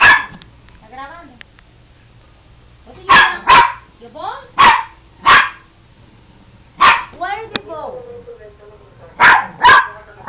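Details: Pet dog "talking", recorded on an Android phone: loud sharp barks in pairs and singles, separated by rising-and-falling whining yelps, while a person keeps talking and asking "where" throughout.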